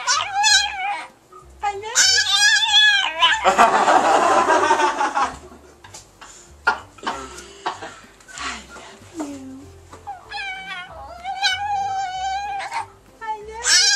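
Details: Chihuahua 'talking', trained to voice a phrase like 'I love you'. Drawn-out, wavering harmonic howls come in several bouts, with a noisy burst of cheering or applause between them and a human voice nearby.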